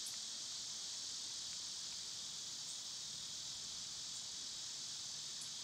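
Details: Cicadas singing in summer: a dense, unbroken high shrill drone fills the whole stretch, with only a couple of tiny faint clicks breaking through.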